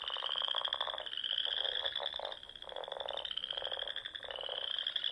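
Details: Spring frog chorus from the Sandhills of Nebraska at dusk near small lakes and ponds: steady high-pitched trills layered over rhythmic lower croaking bursts, one caller briefly dropping out midway.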